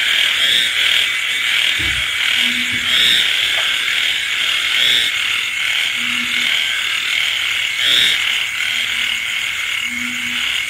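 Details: A nighttime frog and insect chorus in the rain: constant high buzzing and trilling, with four low, short humming croaks and a soft thump near the start.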